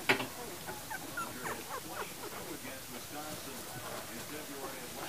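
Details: Puppies from the litter of Libby and Hoops, born January 28, 2012, fill the clip with a busy chorus of overlapping high, thin whimpers and squeaks, many short rising and falling cries running together without pause, with a sharp knock at the start.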